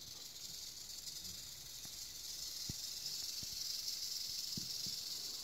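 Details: Eastern diamondback rattlesnake (Crotalus adamanteus) rattling steadily, a dense high hissing buzz held without break for over five seconds, growing slightly louder toward the end, with a few faint low knocks underneath.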